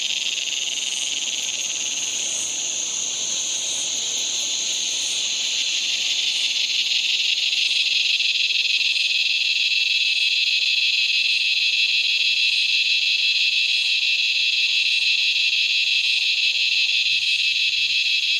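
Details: Henicopsaltria eydouxii, the razor grinder cicada of Australia, calling near dark with an unbroken, harsh, high-pitched drone that swells slightly in loudness partway through and stays steady for the rest.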